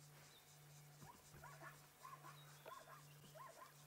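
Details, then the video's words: Zebras call in the distance at sunset on 28 October 2016 during a safari drive: faint, yelping barks repeated in quick bursts over a steady engine hum. "Oh, I can hear some zebra."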